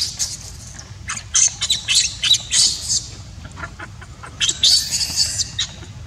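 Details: A baby monkey cries when its mother will not take care of it: shrill, very high squeals and screeches come in rapid, uneven bursts, several each second, with short pauses, over low background rumble.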